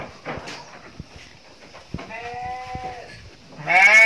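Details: Female Garut sheep in a pen: a sustained harmonic bleat mid-clip, then a louder, wavering bleat at the end, with thumps and shuffling noises between.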